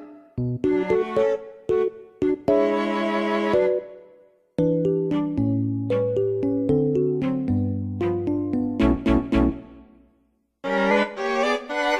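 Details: Bright keyboard and piano melody in a playful children's style, with short pauses between phrases and no animal sounds.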